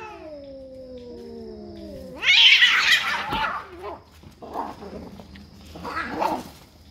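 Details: Fighting cats defending territory: a low drawn-out moaning yowl falls gradually, then breaks into a loud harsh hissing spit, followed by two shorter rasping growls.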